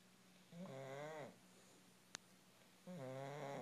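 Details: An English bulldog snores in loud, rattling, nasal breaths, each lasting under a second.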